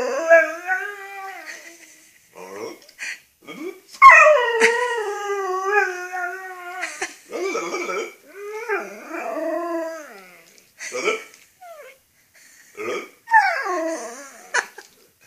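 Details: Rhodesian Ridgeback dog "talking": drawn-out, wavering whine-howls rich in harmonics, rising and falling in pitch, delivered in bursts of a few seconds with short gaps, mixed with brief yips and whimpers.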